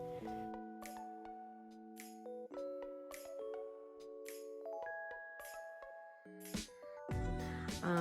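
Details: Tinkling, chiming instrumental music with sustained tones and bright bell-like strikes, no animal voices heard.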